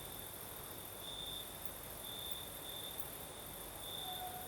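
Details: Singing crickets on a breezy night in southern Crimea, their high trill fainter and more intermittent, with a few brighter bursts, a short clear whistled tone near the end and a steady hissing background.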